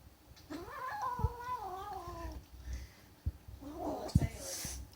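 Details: Kitten guarding her food gives a drawn-out, rising-then-sliding harmonic yowl about two seconds long, followed by a shorter strained call. Handling thumps and a brief hissy burst come near the end.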